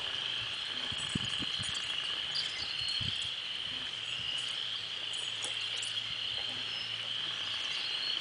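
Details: Loud frog noises fill a 52-degree April 5th Sunday morning walk: an unbroken high trilling chorus persists throughout, while low thuds and rustles, like footsteps or handling, come and go underneath.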